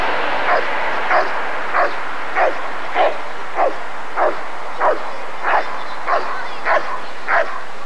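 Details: At the ADRK Körung breed survey in 1994, a Rottweiler gives a run of about twelve evenly spaced barks, each clipped and punchy, about 0.6 seconds apart, against a steady background hum.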